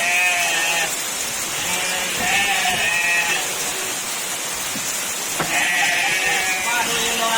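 Goats give several quavering, nasal bleats, each lasting about a second, with pauses between them. A constant roar of heavy rainfall fills the background throughout.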